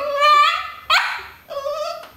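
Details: Dog "talking" indoors: a sustained, high, harmonic whine, then a sharp, brief yelp-like bark, followed by another steady whining note.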